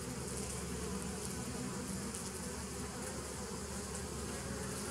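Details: Bees humming together in a constant low drone, dated 27 September 2018, an unbroken buzzy tone rich in low overtones without pauses or other noises.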